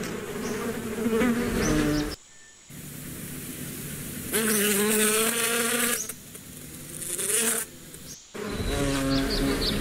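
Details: Bee buzzing up close in loud harmonic bursts whose pitch wavers as the insect moves, broken by short abrupt silent gaps, with no other clear sounds.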